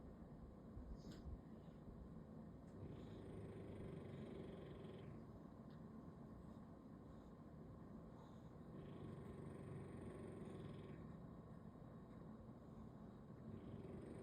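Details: A French Bulldog sleeps belly-up on a Sunday, called an old-man dog, and snores. A continuous low rumbling drone swells into deeper, rasping breaths roughly every six seconds over a faint steady hiss.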